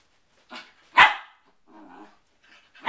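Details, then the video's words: Cooped-up poodles with cabin fever: one loud, harsh bark stands out between softer, lower barking sounds before and after it. "Poodles with Cabin Fever"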